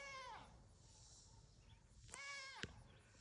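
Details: Reesie, a goat at a farm animal rescue, yelling at her keeper: two harmonic bleats, the first falling and fading within half a second, the second wavering near two seconds in, with quiet talk and rustling around them.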